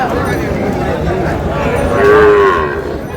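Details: Sahiwal bull calf at a cattle market in Bangladesh, bought by a farmer from Comilla; one short, steady mid-pitched moo near the end, under ongoing Bengali speech and market chatter.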